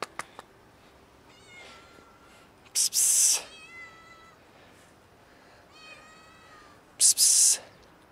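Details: A local female kitten at feeding time meowing between a person's loud hissing 'psst' calls: three thin, high, drawn-out mews, each about a second long, slightly falling.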